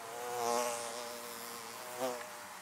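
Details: Bees buzzing around beehives: a steady, layered droning hum that swells as a bee passes close at about half a second, with another brief swell near two seconds.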